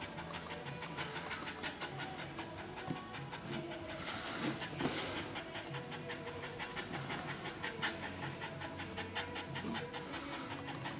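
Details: A first-time red Staffordshire Bull Terrier bitch named Rosie in her whelping pen during labour, delivering her first pup, panting fast and steadily at nearly three breaths per second, each breath a soft breathy rasp.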